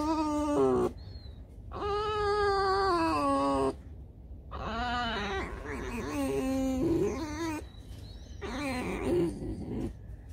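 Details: Tame fox living in a home, early morning before breakfast: a series of long, loud, screechy whining cries, some steady and some wavering, separated by short pauses, with a man talking and faint music.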